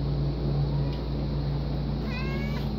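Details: A talkative house cat meows clearly near the end, a brief harmonic-rich call that slides slightly. A fainter earlier sound sits under a constant low droning hum.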